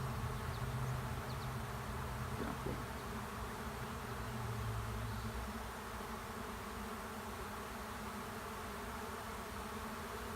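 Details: Honey bees swarming into an empty hive, possibly two swarms still choosing where to settle; thick, unbroken low buzzing drone of many bees, slightly louder at the start, steady to the end.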